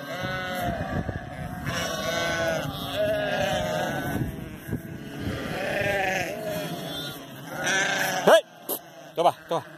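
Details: Flock of sheep herded by working border collies, several overlapping wavering bleats from many animals, followed near the end by sharp whistles and shouted commands to the dogs.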